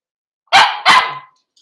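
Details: Two quick, loud barks a third of a second apart, each with a short ringing tail, from Cavalier King Charles Spaniels during a puppy socialisation session with older dogs in a small indoor room, 13 December 2022.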